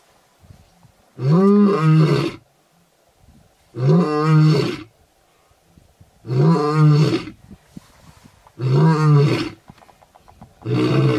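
A lion gives deep, rumbling roars, each about a second long, repeated every two to three seconds.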